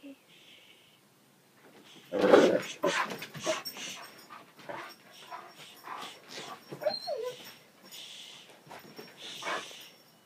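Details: Pet dog straining to chase deer, letting out excited whines and breathy huffs, with a loud scuffling burst early on and a thin falling whimper later, while a person calmly tells it no.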